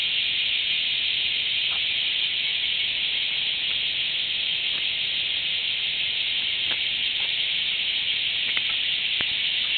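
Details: A bear cicada, recorded on 23 July 2011, sings a loud, steady, hissing buzz that carries unbroken through the whole clip.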